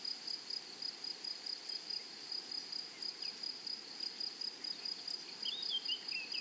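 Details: Grasshoppers in a flowery meadow. A steady, high, shrill buzz pulses in short rapid bursts, several each second, with a faint overtone above. Brief thin chirps from another small caller cut in near the end.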